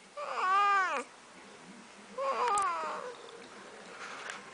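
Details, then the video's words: Domestic cat named Snuggles, a talking pet, gives two long, clear meows, each rising then falling in pitch, with a third faint one near the end; a quiet room lies behind. "Talking Cat"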